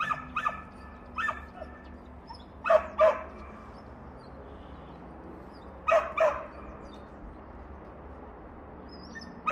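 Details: Dog barking because it wants to play with a new delivery driver, with two other dogs nearby: short sharp barks in pairs at roughly three-second gaps over a steady background hum.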